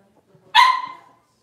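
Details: Six-week-old Cavalier King Charles Spaniel puppy, in a puppy pen while being dewormed and having toenails trimmed, lets out a single sharp, loud yelp lasting about half a second, bright and harmonic, fading quickly into quiet.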